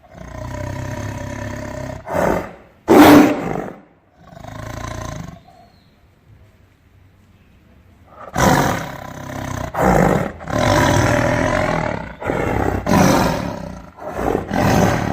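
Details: Tiger roaring: loud broadband roars and growls in bursts, a burst near three seconds, a near-silent gap mid-way, then a long run of overlapping harsh roars.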